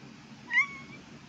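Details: Domestic cat giving a single short meow while two cats talk to each other indoors; a bright, rising note that levels off and trails away over about half a second, with a faint low hum behind.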